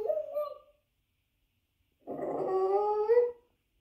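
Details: Indoors, a dog howls from a television in front of a watching Boston terrier: a short falling howl, two seconds of silence, then a steadier rising howl lasting over a second.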